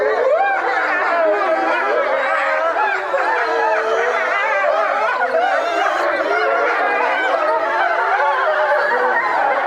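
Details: A pack of European wolves howling together at Tama Zoological Park, many overlapping voices in long wavering howls that rise and fall, some sliding up sharply, forming a continuous chorus.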